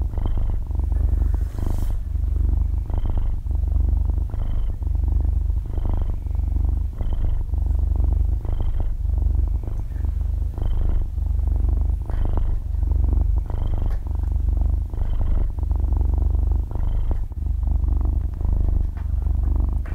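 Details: Young kitten, about half a year old, purring in its sleep, captured with very close binaural microphones and no voices or background music; a soft yet loud vibrating drone rises and falls in steady breath cycles.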